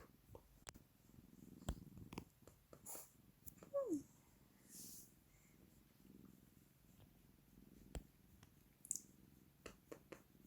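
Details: Cat kneading the air, purring softly in low rhythmic pulses, with one brief falling meow midway and scattered light clicks and rustles indoors.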